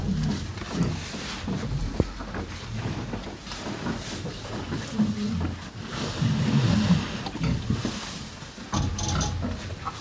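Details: Pair of cows eating hay at close range: rapid, uneven crunching and rustling, about four bursts a second at times, with louder stretches of chewing toward the middle and a low breathy hum underneath.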